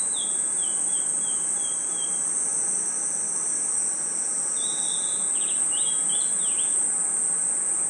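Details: A forest at night with crickets and insects: a sustained high ringing trill underneath, a descending series of whistled chirps at the start, then a tangled burst of rapid chirps.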